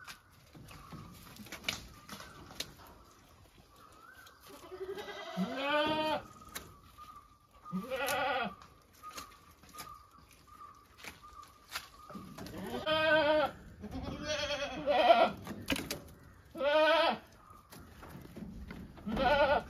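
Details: Domestic goats giving a series of loud wavering bleats, quiet at first and then frequent near the end, over a faint steady high-pitched tone in the background.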